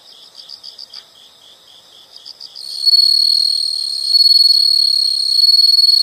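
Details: Rhythmic high chirps pulse regularly for a few seconds. Then a loud, steady, ringing insect trill takes over and continues to the end.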